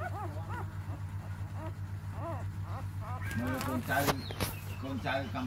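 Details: Newborn puppies, four days old and six in the litter, let out short arched squeals in quick runs, softer at first and then louder and more crowded near the end, with a constant low hum beneath.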